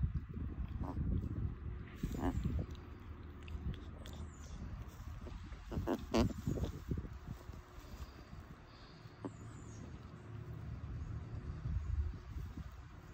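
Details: Chihuahuas relaxing in the shade on an afternoon, making happy, contented snorty sounds: low, rumbling, irregular snuffles and grunts with a few sharper bursts, fairly quiet throughout.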